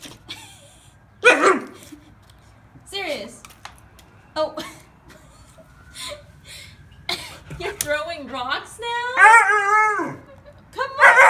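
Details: Sirius, a Siberian Husky pup, talks back when asked to come inside: drawn-out, wavering howl-like yowls with sliding pitch, growing longer and louder toward the end, mixed with a person coaxing him in.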